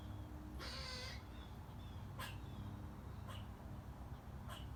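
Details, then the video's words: Squirrel in a front yard tree, squeaking and making loud sounds while eating a nut: one harsh, raspy squeal lasting about half a second, then a few short sharp chips, over steady low background rumble. "Cute Squirrel Squeaking & Making Loud Sounds While Eating A Nut"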